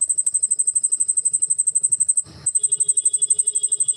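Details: A cricket, watched in darkness with its wings moving as it calls, chirps loudly with a rapid, high, pulsing buzz, broken once by a brief clatter.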